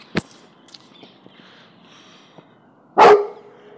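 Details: Cane Corso mix afraid of a balloon; a single loud bark with a trailing tone comes late, after a faint knock and near silence.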